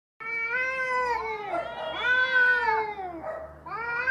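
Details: Cats fighting, loud drawn-out yowls with strong harmonic stacks, overlapping wails rising and falling over four seconds, a brief dip near the end before another rising cry.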